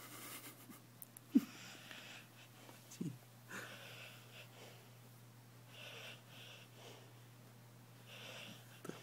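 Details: Tango, a 12-year-old American Staffordshire Terrier, sleeping deeply indoors and then waking, confused about where he is. Short breathy, wheezy snorts come in bursts, with a couple of sharp clicks over a steady low room hum.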